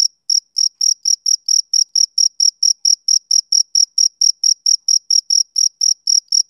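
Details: A male cricket chirps on a summer evening, giving a long, very regular series of about twenty-five crisp, shrill pulses, close to four per second, with nothing else audible.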